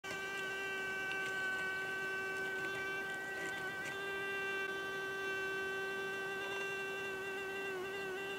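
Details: Hoverfly wings humming in close-up: a steady, unbroken, mid-pitched drone rich in stacked overtones, holding nearly constant pitch throughout with only slight wavering.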